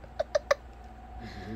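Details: A male Shiba Inu, who dislikes foreign objects such as bags, boxes and scales, gives three quick, sharp, high barks, suspicious of an inanimate object.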